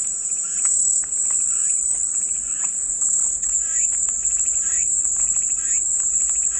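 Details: Cicadas singing for calming white noise: a continuous shrill buzz at high pitch, nearly level in loudness, over soft rhythmic chirping and ticking sounds lower down.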